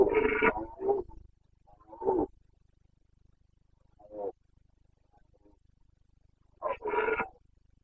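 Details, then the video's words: Carpathian red deer stag roaring during the breeding season in the mountains of Bucovina, 29 September 2022: short harsh roaring bursts with a gap of near silence between them. "Boncănit / Carpathian stag Breeding season"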